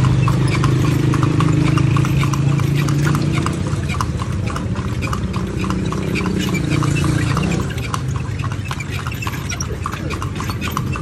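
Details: Clopping hooves of a horse carrying riders on a tour around Vigan, Philippines, a brisk even beat of sharp knocks over a loud low rumble that eases after about eight seconds.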